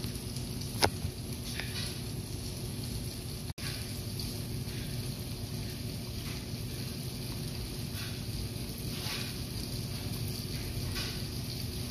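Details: Steady broadband rushing noise like wind or water, with one sharp click and a brief dropout, and no animal voice.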